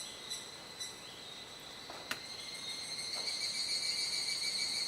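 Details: Cicadas in a dusk chorus at Kuji, Iwate Prefecture, Japan, 17 July 2017, around 19:11–19:25, still in the rainy season as the sky darkens. Steady high ringing tones hold throughout, swelling louder toward the end, with a few soft clicks.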